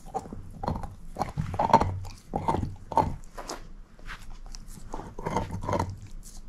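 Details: Moose, a shepherd mix dog, gnaws a bone indoors: repeated wet crunching bites in bursts about every half second to a second, with soft low thuds between, no talking.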